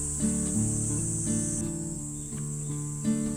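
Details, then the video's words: Cicadas on a shady summer stream bank in Korea, after heavy rain, drone in a steady, high, unbroken buzz the whole time while plucked guitar music plays over it. "매미소리 좋네"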